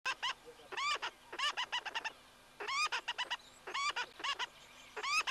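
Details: Tree squirrel alarm-chattering at a camera site in the Greater Kruger private reserves, South Africa: bursts of sharp, clicking, rising chirps in quick groups of two to five, separated by brief pauses.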